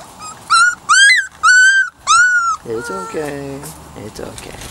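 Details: Weimaraner x Vizsla puppies from Biscuit's litter, three to four weeks old, give four loud, clear tonal whines in quick succession, each slightly arched, followed by lower, softer voiced sounds.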